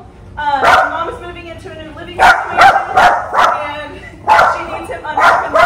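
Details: Benjamin, a Pomeranian Chihuahua mix in training, barks in quick bursts of two or three sharp yaps separated by short pauses, with faint murmuring in between.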